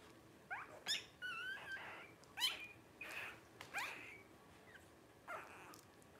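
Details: Twelve-day-old blenheim Cavalier King Charles Spaniel puppies from a litter of five born to Paris and Spike at New Year 2023 give thin, high squeaks and wavering rising whimpers, about half a dozen scattered bursts over a quiet indoor background.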